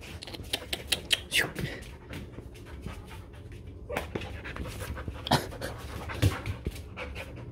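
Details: Border Collie sheepdog, restless and never still, panting steadily in rapid breaths, with occasional short high squeaks and clicks, and louder bursts near the middle and end.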